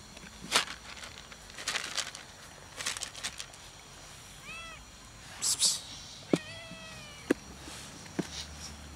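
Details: Beautiful, needy stray cat perched atop a shack, calling loudly for love, not food; two clear arched meows midway, the second longer and wavering, among sharp clicks and rustling scuffs, with a low outdoor hum behind.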